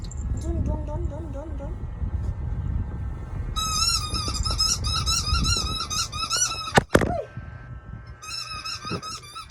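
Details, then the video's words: Noisy pet dog, called baby, indoors: after soft talking, a long stretch of rapid, high, wavering squeaky whines, a sharp knock midway, then another brief burst of squeaks. "Doggy is making noise"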